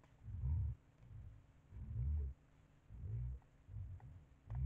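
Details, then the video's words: Heavy, drawn-out rumbling grunts from a white-lipped peccary visiting a bait site, four long bursts each lasting under a second, with faint clicks in between. "porco queixada na ceva"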